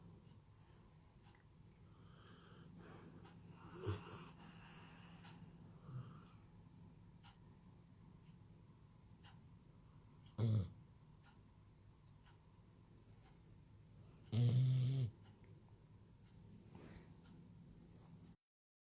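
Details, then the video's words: Pet dog Maxie D sleeping indoors, breathing with soft wheezy snores, then two short loud snorts some seconds apart against a quiet, steady low hum. "Maxie D Snoring Furball"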